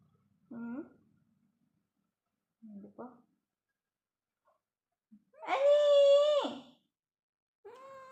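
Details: Domestic cat indoors giving a series of meows: two short, soft mews early on, then a loud, drawn-out, harmonic-rich meow lasting over a second, followed by the start of another; quiet gaps between calls.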